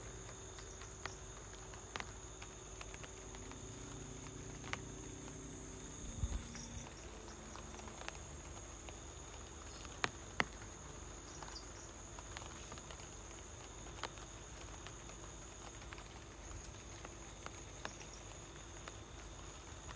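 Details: Crickets at home keep up a thin, steady, high-pitched trilling over soft light-rain patter and scattered clicks.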